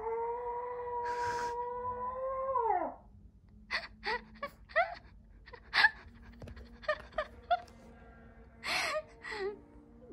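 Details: Pet Maltese howling as it answers its owner inside a home: a sustained wail for about three seconds ending in a falling drop, followed by short bursts of human speech.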